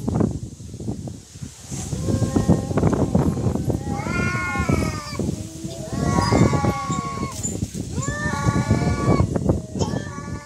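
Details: Cats in a real fight trade drawn-out, quavering yowls in repeated bursts, each a wavering moaning tone rich in overtones, bending up and down, with short pauses between bouts and steady rumbling background noise.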